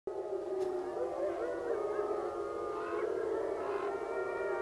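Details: Wolves at a wolf sanctuary howling just about sunrise: several long, sustained, overlapping tones that waver and glide gently up and down, forming a continuous chorus throughout.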